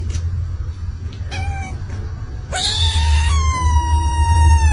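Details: A cat gives a few short, squeaky meows, then a long, high, drawn-out wail that slowly falls, while a woman talks fondly and steady low background hum and music continue.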